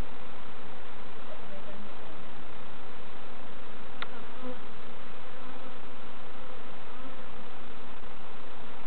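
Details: Continuous droning hum of a honey bee colony while novices check hives at Summerwood Lane Allotments and Community Garden, with one sharp knock of equipment midway and no other animals evident.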